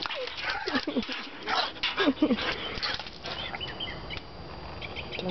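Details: Jasmine, a one-year-old border collie mix, plays excitedly with splashing water, giving short, bending whine-like vocalizations among heavy splashing noise and a person's speech.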